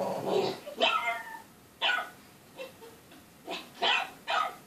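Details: Female Boston Terrier puppy, usually calm, barking excitedly indoors at something on TV: about seven sharp barks and higher yelps in irregular bursts over five seconds.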